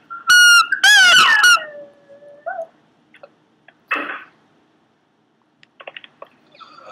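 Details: A Pomeranian gives a few sharp, high squeals, then a drawn-out lower whine that drops and fades. After that come only soft, scattered little noises in a mostly quiet room.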